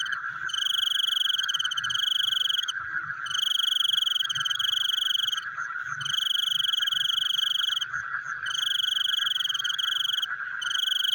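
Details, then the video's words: Frogs at night: long, shrill trills lasting two to three seconds, broken by brief pauses, over a continuous background chorus of rapid lower-pitched pulses. "The Sound of Frogs Chewing in the Night"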